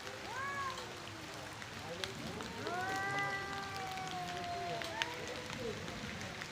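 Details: Two male cats fighting for their area and breeding give moaning, drawn-out yowls. A long, steady wail stretches through the middle, with shorter rising and falling cries around it, over a hissy background.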